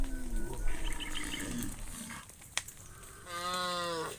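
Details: Cattle being driven by shepherds toward the farm pen: a low moo at the start, then a longer harmonic-rich bellow near the end, with footsteps, a sharp knock and faint bird chirps between.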